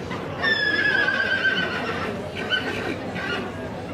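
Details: Yearling Welsh Pony colt of Cob type gives a long whinny, a high, slightly falling tone with shaky harmonics lasting nearly two seconds, followed by two shorter, fainter whinny bursts over background rustle and murmuring.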